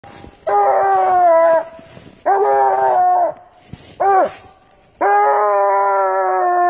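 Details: Coonhound howling in four loud, drawn-out bursts of about a second each, rich and harmonic with a slight rise then fall in pitch; the third burst is short and sharply falling, with brief quiet gaps between.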